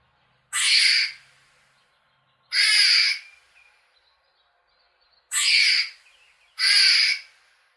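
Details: Four scratchy, noisy chirps from a squirrel in nature, each roughly half a second. The first two are spaced widely, the last two come close together, with near silence between.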